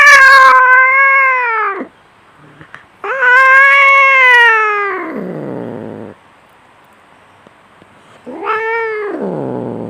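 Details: Domestic cat in a fight, three long strained caterwauls, the middle one wavering and sliding down into a rough growl, separated by near silence.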